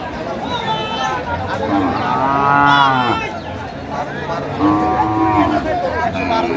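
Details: Sahiwal bull calves bought by a farmer in Faridpur, 27 March 2025: two loud, drawn-out moos, the first about a second long and the second shorter, over steady background murmur.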